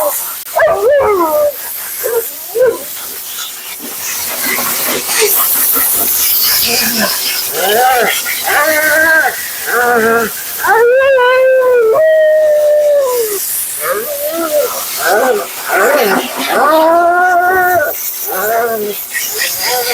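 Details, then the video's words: Vocal Siberian Husky Mila grumbles through her bath at the groomer's: a rapid string of short, warbling yips and moans, some bending upward, over constant hissing background noise and possible human voice. "Talking Husky FURNADO Bath and Blowout"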